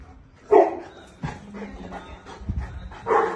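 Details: Boerboel, a South African Mastiff kept in Egypt, gives deep barks: one loud bark, a few lower muffled ones, then another strong bark, at irregular intervals.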